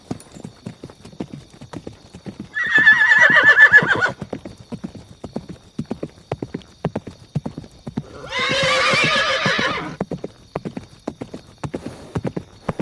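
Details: Horse giving two neighs about five seconds apart. The first is a high, wavering whinny; the second is harsher and broader. Steady clip-clop hoofbeats continue throughout.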